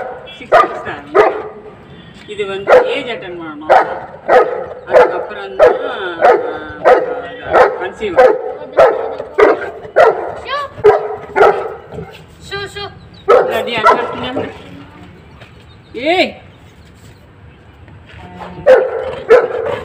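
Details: Dhiya, the female Saint Bernard puppy, competing with Fluffy, a newcomer dog, for food; a long run of sharp, evenly spaced barks, then a quieter stretch with one high yelp and renewed barking at the end.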